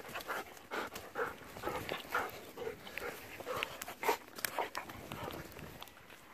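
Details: Golden Retriever dogs Kohaku and Ibuki playing in a field used as their exercise ground, panting in quick rough breaths about twice a second, with faint background noise.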